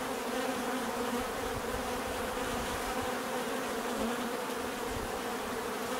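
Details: Constant hum of many bees, thick and unbroken, with layered tonal bands over a hissy wash and an unchanging level.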